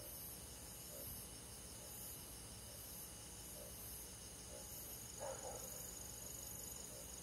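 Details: Summer-night countryside chorus of crickets in forest: continuous high-pitched ringing with regular faint pulses, plus a brief rustling burst near the end against a quiet steady hiss.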